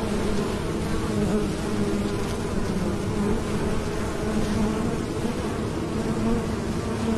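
A bee gives a steady, low droning buzz that holds its pitch without a break.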